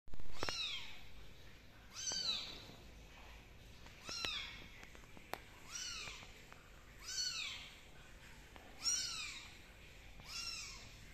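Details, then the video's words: Kittens meowing indoors in a quiet room: about six high, arched, slightly wavering meows, each rising and then falling, repeated roughly every two seconds with faint rustling between calls. "Are they mice or are they kittens"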